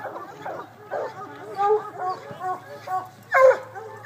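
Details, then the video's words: Hounds baying at the water race of the 2012 Hound Dog Classic, a coon hunting event: short, harmonic barks and yelps, scattered and uneven, mixed with human voices. "Hound Dog Classic - Water Race"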